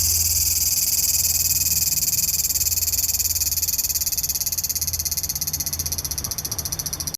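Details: Large brown cicada recorded on 3 September 2015, when few remain in early September; a continuous, harsh, high sizzling drone with fine rapid pulsing, steady throughout and easing slightly toward the end, over a faint low hum.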